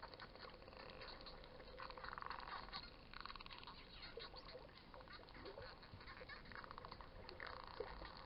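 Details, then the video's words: Wild dolphins heard underwater while snorkeling at Coraya Bay, Marsa Alam, Egypt: buzzy, creaking pulsed bursts and rattling click trains in several clusters, with faint short whistles over a steady underwater hiss. "Wild Dolphins making cute sounds"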